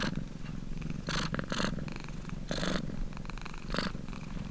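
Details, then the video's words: Rumbling purr of a domestic cat, the low buzz broken by four brief hissy breath pulses within under five seconds, intimate and free of background noise. "CAT PURRING"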